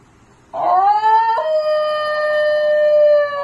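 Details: Basenji dog giving a single yodel howl: a clear tonal note that slides upward, breaks abruptly to a lower pitch, then holds steady for about two seconds before stopping.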